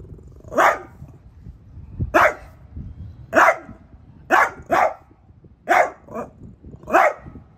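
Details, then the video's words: Pet French Bulldog Piper barking at a new artichoke plant at home; a steady run of seven or eight sharp barks about one second apart, a couple in quick pairs. "PIPER takes on the new ARTICHOKE PLANT"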